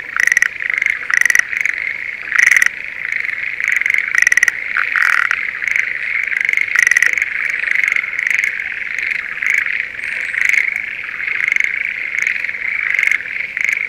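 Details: Spring rice paddy near Sendai, Japan, where Schlegel's green tree frogs in breeding season call. Bursts of rapid pulsed croaks, clustered early then thinning, sit over a continuous high ringing chorus.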